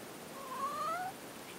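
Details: Domestic cat indoors: a single short, faint meow lasting under a second, a thin, slightly rising tone over a steady background hiss.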